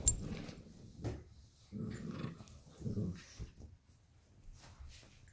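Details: Luigi, a 12-week-old Alaskan Klee Kai and Pomeranian cross puppy, tussles with Pooki, a 7-year-old American Eskimo and Chihuahua cross, over a toy fox. Low, throaty growls rise and fade in three or four short bursts.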